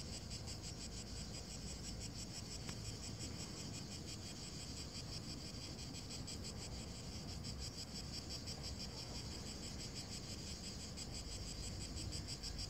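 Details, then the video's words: Cicadas keep up a steady, high, pulsing shrill that never pauses over dry grass on a hot day in Verona province, Italy, on 23 June 2017, with a low rumble of wind. "Calor, gramado seco, chiar das cigarras. (vídeo em 4k)"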